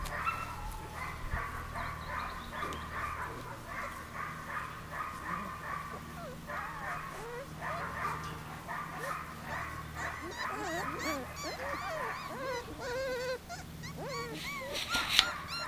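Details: Thirty-day-old puppies with their mother Arija, giving a steady stream of high, whistled whimpers and squeaky yips that rise and fall, overlapping almost continuously, with a low steady hum underneath.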